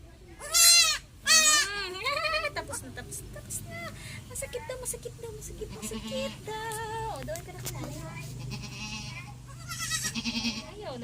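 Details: Pet goats bleat during an iron vitamin injection; two loud, quavering, nasal bleats open the scene, followed by fainter repeated bleats amid steady Tagalog speech from the woman handling them.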